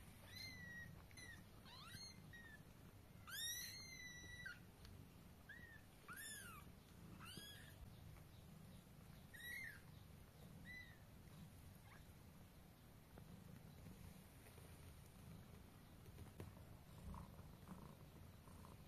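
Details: Cat family scene: a mother cat carries her kittens to bed in her mouth. High, thin, arched mews with bright overtones come in a quick, irregular series over the first ten seconds, then give way to a low, steady background hum.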